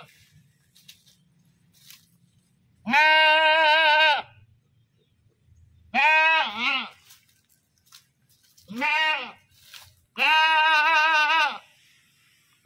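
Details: Goat screaming, loud harmonic-rich bleats: a long steady cry, a wavering double bleat, a short arched call, then another long sustained cry, separated by quiet gaps with faint low rumble.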